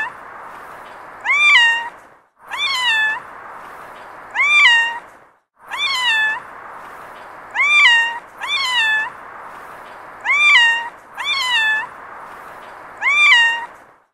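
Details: A cat gives about nine drawn-out meows, often in close pairs, each rising then dropping to a level tail. The meows are clear and harmonic, with a steady background hiss filling the gaps between them.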